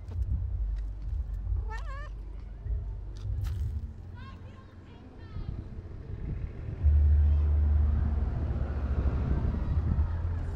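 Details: Calico cat begging for food on a Turkish street, giving one clear wavering meow followed by a few fainter short meows, with human speech nearby and a car engine rumbling loudly toward the end.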